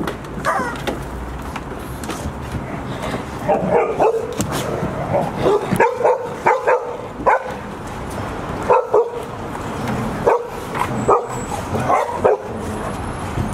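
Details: Golden Retriever pack at Ain village on 28 October 2018: six-month-old puppies Asahi, Owl, Roi and Chiwa with their mother. Short sharp barks come in bursts through the clip, several dogs overlapping, with steady background hiss.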